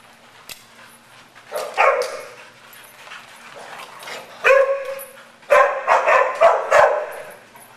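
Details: Madison, a tri-color mixed-breed dog, romps with a group at Double Dog Day Care in Stow, Ohio; loud harmonic barks and yips come in bursts, a pair near two seconds, another at four and a half, then a rapid cluster of four.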